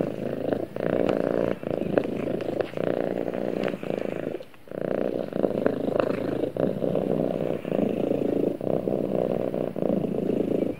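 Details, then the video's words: Domestic cat purring during snuggle time with its owner: a loud low buzzing rumble in rhythmic stretches, one clear break partway through, and soft rustling. "Cute Cat Snuggles With Owner And Purrs"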